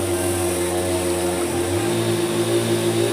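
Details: A steady, droning engine hum with layered low tones, like a passing aircraft, fills the whole stretch, with no animal voices audible.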